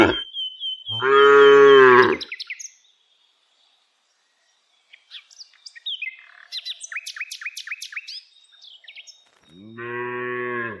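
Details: ['Daily herding of tame village cows on the move. A loud moo lasting over a second rings out, followed by a quiet gap, then a burst of repeated bird chirps, and a softer moo at the close.']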